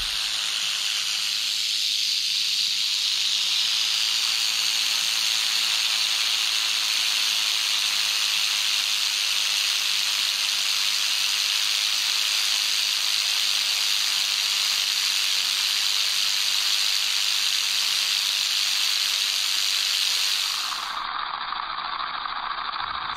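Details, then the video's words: Continuous dry rattling from a wild canebrake or timber rattlesnake, Crotalus horridus, about seven rattle segments, met on a North American dirt road late in the herping season; an even high sizzle holds for twenty seconds, then drops away sharply. "Rattlesnake ASMR"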